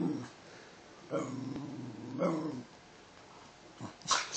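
A Basenji mix dog gives two drawn-out, yodel-like barks with a growly edge, answering a command to speak.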